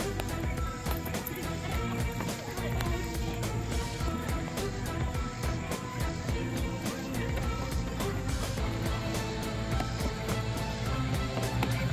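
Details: Steady music plays throughout, with faint vehicle noise and occasional speech underneath and no animal voice.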